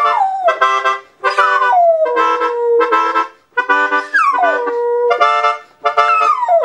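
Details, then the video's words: Female dog howling along to reggae music, with long, drawn-out howls that fall from a high start and level off, repeated in roughly three bouts with short gaps between. "Awesome Reggae-Singing Dog!"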